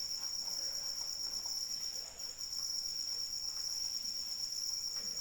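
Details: Crickets singing in rain: an unbroken, piercing high trill with a rapid pulsing rhythm, a brief dip in overall loudness midway, and gentle rainfall in the background.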